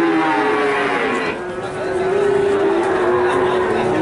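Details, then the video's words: Calf in Nganjuk, Indonesia, said to resemble a water buffalo, giving long steady moos with a brief lull midway, faint speech and vehicle noise behind. "Pedet Sapi Nganjuk"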